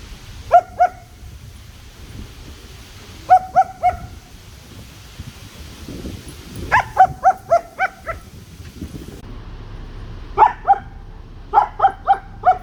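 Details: Sangi, a German Shepherd puppy who loves his sticks, barks in short bursts of two to six bright, ringing yaps, pausing a few seconds between volleys, against a low background rumble.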